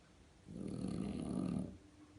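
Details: French Bulldog snoring loudly, likened to a tractor: one rough, rattling, low-pitched snore lasting just over a second, starting and stopping abruptly against a quiet background.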